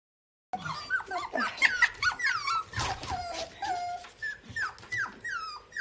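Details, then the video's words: Several young puppies sitting together in a basket: high, thin whining whimpers and squeaky yips, many overlapping rising and falling cries in quick succession. "AMAZING BABY DOGS SOUNDS"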